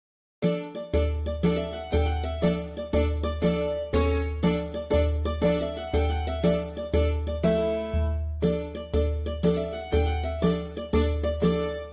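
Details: Bright jingling instrumental music with a steady beat about once per second and a deep repeating bass; no animal sounds are heard.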